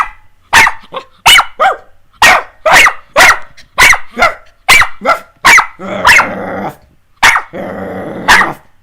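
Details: Two pet puppies barking while playing indoors with their owner: a rapid series of about a dozen sharp, high yapping barks, some close together, ending in a rougher, noisier bark with a growly edge.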